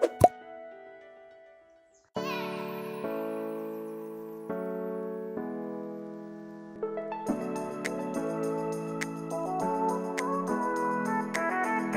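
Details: Bright piano music plays over a steady beat with plopping sound effects, and no animal voice is heard.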